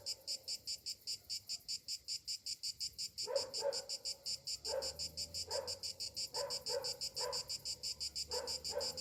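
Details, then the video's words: Cicadas on a summer morning give a shrill pulsing buzz repeated about three times a second; the first three seconds are cleaner, then lower rough bursts break in repeatedly. "Morning summer cicadas sounds"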